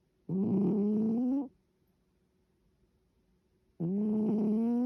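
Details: Cat snoring in its sleep, two long, harsh, droning breaths over a second each, separated by a pause of about two seconds of near silence.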